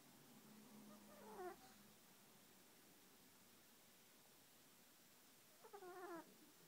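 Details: Sleeping Yorkshire Terrier snoring softly: two brief wheezy, tonal snore sounds about four seconds apart over a quiet, steady background hiss.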